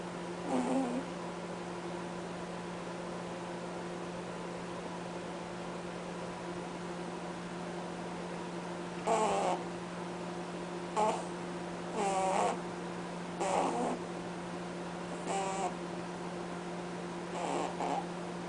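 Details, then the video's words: A sleeping pet bunny named Cadbury honks in his sleep. After a quiet stretch, brief buzzy snorts come at irregular intervals, some close together, against a constant electrical hum. "Bunny snoring"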